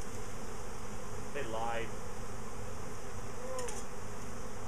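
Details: A bee swarm that has left the hive a week after a previous swarm gives a constant deep droning buzz. Brief human voice sounds and a click come through midway and near the end.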